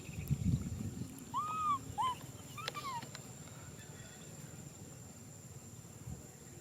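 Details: Baby macaque Nui Simon crying out for a hug: clear arched whistle-like cries, rising then falling, two close together and then a drawn-out downward-sliding one, over low rumbling background noise.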